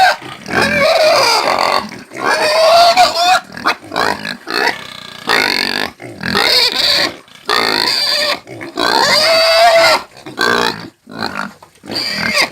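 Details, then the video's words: Squealing caipira pig, a Brazilian country pig, giving rapid bursts of harsh, high-pitched screams broken by short gaps and grunting noises, the shrieks rising and falling in an irregular, frantic sequence. "SOM DE PORCO GRITANDO"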